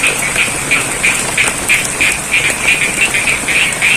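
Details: Frogs croaking in the rain amid rice fields at Sidorejo, Cangkring, Ngadirojo, Pacitan, East Java, Indonesia. Short, bright pulsed croaks repeat about three times a second in a steady rhythm over a constant hiss of falling rain.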